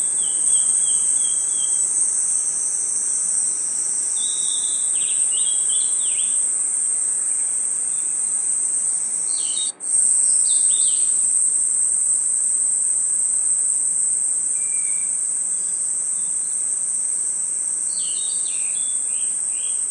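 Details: High, continuous insect ringing in a forest at night, crickets among the callers, broken by clusters of short falling chirps at several points and one abrupt brief dropout around ten seconds.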